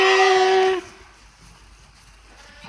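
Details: Twin lamb sisters with ear tags 3033 and 334 at Ishikari sheep farm in Hokkaido, Japan: one loud, steady, harmonic bleat lasting under a second, followed by quiet farm background.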